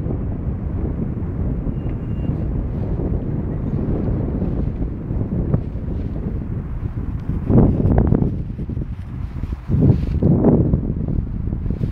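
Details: Loud wind buffets the microphone outdoors with low rumbling throughout, and no animal sound is heard.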